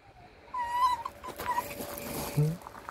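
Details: Grumpy male red fox indoors, in a bad mood: short, high, tonal whines, a wavering one followed by two brief clipped ones, over rustling. A human voice is heard close by.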